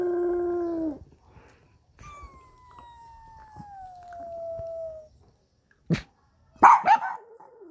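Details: Startled by an ambulance siren, a dog gives a short low howl, then a long clear howl slowly sliding downward over three seconds, followed after a pause by sharp yelps and whines.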